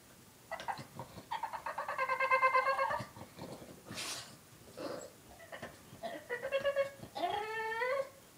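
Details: Jack, a three-year-old male Boston Terrier, cries indoors after his one-year-old Boston sister took his bone: a run of pulsing, quavering whines near two seconds, then shorter broken whimpers and a final rising-falling whine.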